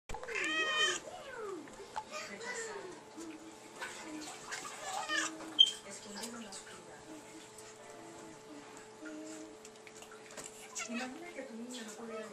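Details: A female pet cat meowing as if talking to her owner indoors: a series of short rising-and-falling harmonic meows, strongest in the first second, then quieter chirps, with a person's voice and a faint steady hum behind.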